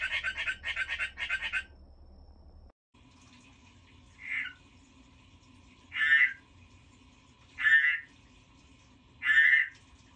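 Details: Pet frog croaking: three short pulsed bursts open, then after a pause single rasping croaks come roughly every one and a half to two seconds, against a quiet background hum.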